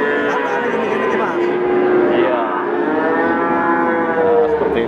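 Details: Young male Peranakan Ongole (PO) cattle, also called Javanese cattle, for sale at Pasar Pon livestock market, Ambarawa, Central Java. Several animals moo at once in drawn-out, wavering calls that overlap into a dense chorus over market noise.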